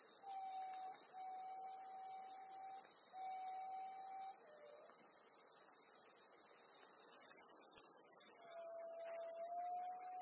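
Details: Bear cicada (Cryptotympana facialis) on Amami Ōshima, Japan, caught by a golden-web spider, gives a dense, hissing buzz that abruptly swells louder, with steady whistled notes from another animal.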